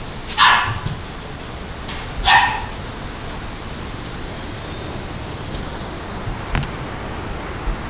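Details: Female Labrador Retriever giving two short, sharp barks about two seconds apart, followed by quiet with a few faint clicks and knocks.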